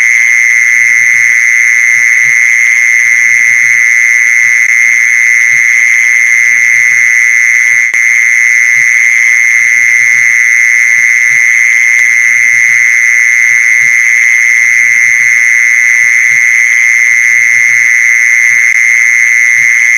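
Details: Long, unbroken mole cricket trill meant to attract mole crickets, a steady high buzzing tone that never pauses or wavers, with quiet low knocking sounds scattered below.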